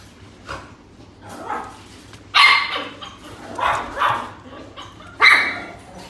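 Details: Female puppy giving short, sharp yapping barks, about five irregular bursts over six seconds, each bright and high-pitched, with quiet pauses between them.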